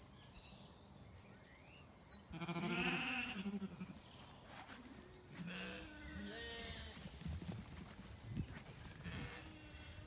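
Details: Zwartbles lambs in an orchard on an Irish farm in County Kilkenny during a warm evening walk with dogs; a loud quavering bleat, then fainter overlapping bleats and rustling, with birds chirping.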